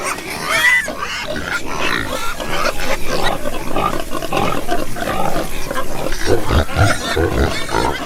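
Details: Deep, low pig grunts dominate, with rumbling repeated snorts and a short squeal near the start, among a noisy pen of animals.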